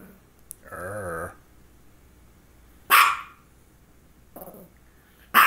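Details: Dog barking around the time of two focal seizures, one just before and one shortly after: a low wavering whine, then two sharp loud barks with a shorter bark between, a voice asking her to stop.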